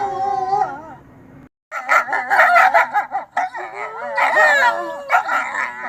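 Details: Wolf vocalizing: a wavering howl cuts off into a short silence, then an excited chorus of rapid yips, barks and short quavering howls follows, packed closely together and loud.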